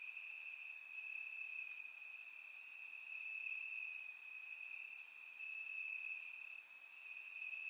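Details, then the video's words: Night-time chorus of crickets in Bulgarian grass during warm summer weather, surround-recorded: an unbroken piercing high trill, fairly even in loudness, overlaid by regular faint ticks about every second. "Cricket Sounds - Crickets Chirping at Night"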